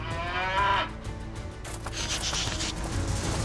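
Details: Cow bellowing while being sorted into pens during a cowboy cutting competition; one short, tonal moan under a second long, followed by background music and arena noise.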